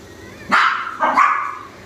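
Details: Chihuahua puppy in Delhi, India, giving two short, sharp, high yapping barks about two-thirds of a second apart, each bright and slightly falling, in a quiet room.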